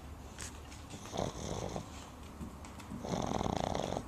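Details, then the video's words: A Boston Terrier puppy snores loudly after a day spent at the river, in raspy, rattling breaths, ending with a long buzzy rasp. "Boston Terrier Puppy Snoring"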